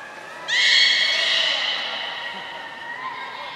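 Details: Aquarium beluga at Port of Nagoya Public Aquarium, 18 February 2024, feeding and playtime: a sudden bright tonal call with strong overtones starts high, sags slightly and trails off over about two and a half seconds amid quiet visitor noise.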